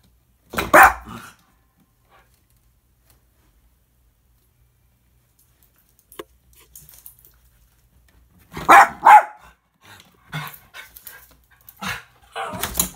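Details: Two Schnauzers indoors, excited by a squirrel visiting close outside a window: loud harsh barks in short clusters, a long silent gap, then renewed barking with quieter whines and snuffles between bursts.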